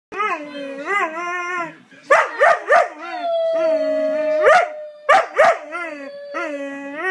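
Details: Pet dog with a funny bark, giving long, wavering, yodel-like howled notes that break into short sharp barks, then a sustained steady tone followed by more quick barks and a final drawn-out howl.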